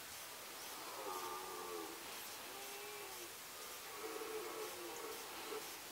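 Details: Red deer roaring during the 2018 rut in the Sandomierz Forest: distant, hoarse, drawn-out roars with stacked harmonics, several following one another, half-buried under strong, steady broadband hiss.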